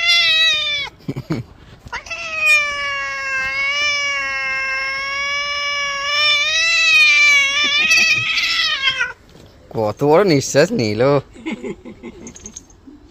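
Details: Cat being bathed giving a long, sustained, wavering yowl lasting about seven seconds after a shorter opening meow, then breaking into rapid rough cries, with human speech in between.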